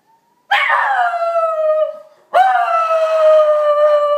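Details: Pet Schnauzer Kobe, aged three, answering a passing fire truck siren with two drawn-out wavering howls, the second rising sharply at onset then holding a steady level tone.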